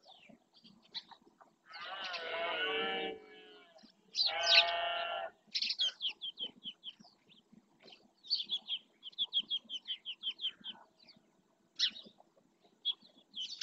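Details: Rutting red deer males in the Doñana National Park marshes, Spain, roaring to claim territory; two rough, harmonic bellows back to back, followed by many short high bird chirps.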